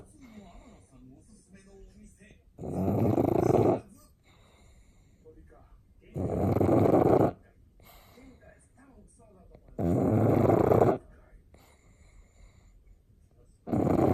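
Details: Loud snores from Sakura, a pet pug taking an afternoon nap, sounding seal-like when recorded close: harsh rumbling bursts of about a second each, repeating roughly every three and a half seconds, with soft breaths between them.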